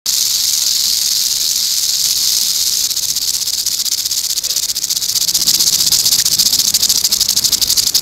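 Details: Eastern diamondback rattlesnake rattling its tail, a continuous dry high-pitched buzzing hiss held steadily throughout, with faint fluttering pulses and no other clear sounds.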